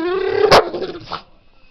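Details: Pet pit bull barking at a dog on TV: a drawn-out whining tone breaks into one sharp, loud bark, then a fainter short yelp before the room falls quiet.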